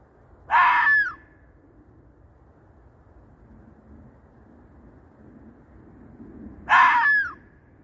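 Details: Fox calling at night, described as calling for a mate in the middle of the night; two short harsh screaming calls about six seconds apart, each with a downward-curving tail, over quiet low background hum.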